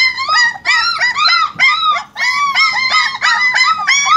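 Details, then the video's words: German Shepherd puppies whimpering and whining, a steady run of high arched harmonic cries repeated several times a second with only brief pauses, the overlapping voices suggesting more than one pup. "German Shepherd puppies"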